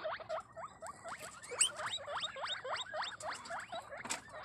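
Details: Pet guinea pigs of different breeds kept in a caviary in Cabugao, Ilocos Sur; rapid repeated high squeaking whistles, each sweeping upward, about three or four per second, with light rustling.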